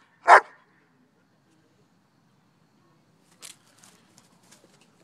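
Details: One loud, short bark from a German Shepherd named Shiva during play with a duck toy, followed by faint scuffling and small clicks.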